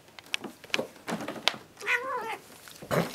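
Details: Domestic cat lying upside down indoors; a single brief wavering meow in the middle, surrounded by sharp clicks and knocks.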